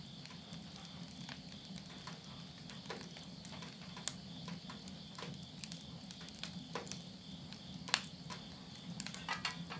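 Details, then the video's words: Insects at midnight in September 2020, end of summer in the countryside of Yurihama, Tottori, Japan: a steady, high, unbroken trilling chorus runs throughout, overlaid by frequent sharp crackles and pops of wood burning in a house stove. "mid night the voice of insects"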